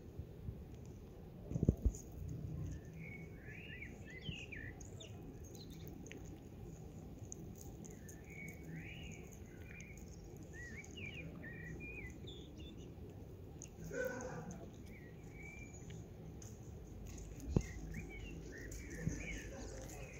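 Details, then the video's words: Street kitten, excited after smelling food in a backpack, gives a steady run of short, high, arching mews over twenty seconds, with a low background rumble and a few sharp knocks. "Kitten went crazy when he smelled food in my backpack"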